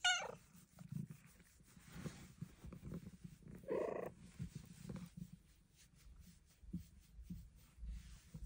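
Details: A female Bengal cat gives short, bright meows over a soft, low rumbling purr, while trying for a belly flop at her special spot as dogs walk in.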